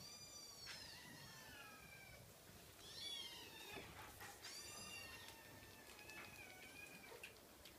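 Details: A cream Scottish Fold kitten meowing: a series of thin, high, repeated mews, some rising then falling, several in quick succession around the middle, over a quiet faint background hiss.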